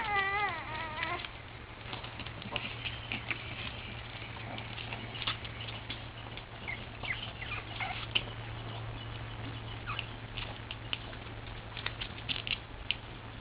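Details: Playing Boston Terrier puppies: one drawn-out, wavering whine opens, then light tapping, scrabbling and a few faint squeaks over a constant low hum.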